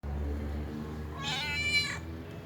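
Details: A domestic cat trying to cough up a hairball gives one strained, raspy, voiced burst lasting under a second, harsh and noisy over a low steady hum of room noise.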